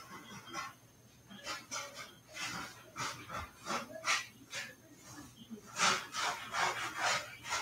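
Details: Cavalier King Charles Spaniel puppies playing in the house where they are raised, giving a string of breathy, panting bursts and scuffling play noises, rising and falling irregularly about twice a second in a small indoor room.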